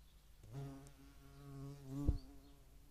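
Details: European hornet at a feeding site in Dohr, Eifel, Germany, on 11 July 2022, with median wasps also visiting; a low, droning harmonic flight buzz swells and fades over about two seconds, ending in a sharp knock.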